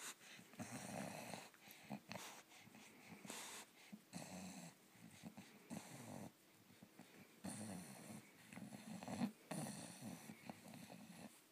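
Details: English bulldog at bedtime, enjoying an ear rub indoors; low snuffling, snorting breaths and grunts come in irregular bursts throughout, with soft rustling and no other voices.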